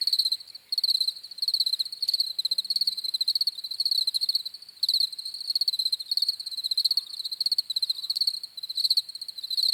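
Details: Crickets chirping in a steady high-pitched chorus, rapid pulsed trills grouped into bursts of roughly half a second, overlapping callers filling the background with a continuous shimmering drone and no other sounds.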